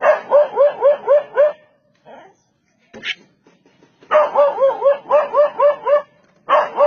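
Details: Dog driving away an attacking leopard, giving quick strings of five or six sharp barks, then a pause broken by a couple of faint sounds before another fast volley of barks resumes.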